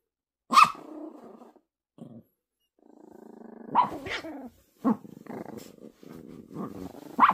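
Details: Poodle puppy in a tussle over a ball with another dog, later burying the ball in a blanket; sustained low growls interrupted by several short, sharp barks and yelps.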